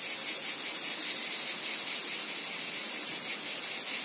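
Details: Cicadas in a wheat field fill the air with a steady, high, hissing buzz that throbs slightly several times a second.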